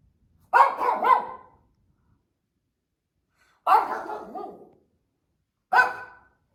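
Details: Female pet Shih Tzu roaming a family room indoors, barking perhaps from boredom or at something outside: a quick double bark, then a pause of about two seconds, then two more single sharp barks; quiet room otherwise.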